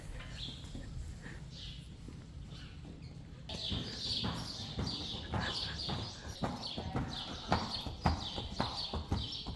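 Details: Friesian horses, foals and mares, some foals with the wrong mothers, moving about: irregular clopping hoof thuds grow busier after a quiet start, with people talking and birds chirping in the background.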